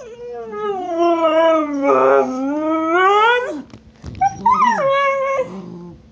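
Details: Female husky complaining with howls after an Australian Cattle Dog stole her bone: a long mournful howl dipping then rising sharply, a pause, then shorter wavering whines, with a growl from the other dog.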